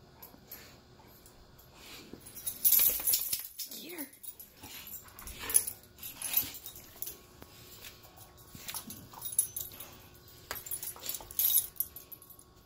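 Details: Cane Corso at play while a puppy tries to dominate it: breathy huffs and snorts in bursts, one short rising-then-falling whimper partway through, with scuffling and movement noise around them.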